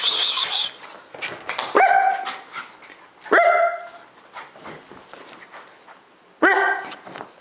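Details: Pet dog barking during a playful bark war started by its owner indoors: three sharp, ringing barks spaced irregularly over several seconds, separated by rustling, scuffling and handling noise.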